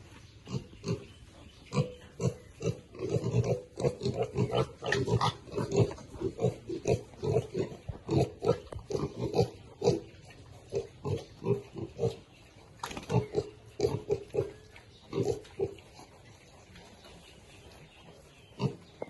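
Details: Baby pigs eating, described as happy: a steady stream of rapid, low grunts and snuffles crowded together for most of the stretch, then tailing off to near quiet.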